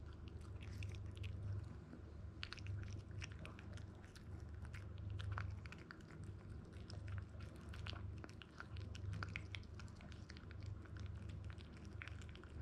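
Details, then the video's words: Toy Poodle puppy ZEN, male, 62 days old and 1290 grams, born in Japan, chewing grain-free kibble: rapid, irregular crunching about four bites per second, steady low hum underneath. "TOY POODLE PUPPY | Food Preparation | Weighing & Eating Food"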